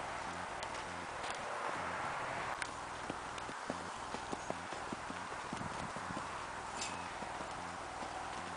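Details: Tennessee Walking Horse in a natural rocking chair canter: soft, irregular thudding hoofbeats in quick groups over steady broadband outdoor rumble, with a few sharper clicks and knocks.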